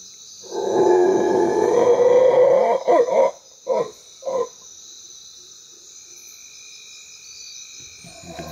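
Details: Howler monkeys of a lesser troop calling from the bush behind La Primavera Wildlife Observation Station in Belize, where a troop leader is contesting the area: a deep, sustained roar of about two seconds, then three short grunting bursts, over a steady insect whine.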